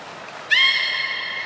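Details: A brief beluga call recorded at a Port of Nagoya Public Aquarium training session on 16 December 2018, featuring Gray, Mirai and Niko: a sudden upward-sweeping onset that settles into a bright, steady harmonic tone.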